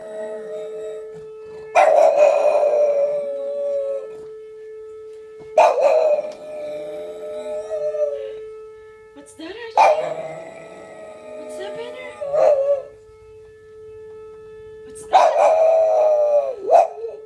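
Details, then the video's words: Boston Terrier mimicking a sound, giving four drawn-out howling wails, each a couple of seconds long with a wavering tone, separated by short pauses; a steady background hum runs throughout. "Boston Terrier mimicking a sound"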